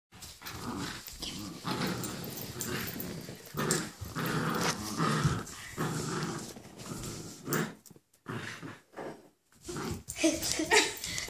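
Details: During a tug-of-war game, a Basenji growls and grumbles in rough, rasping bursts, with brief pauses between.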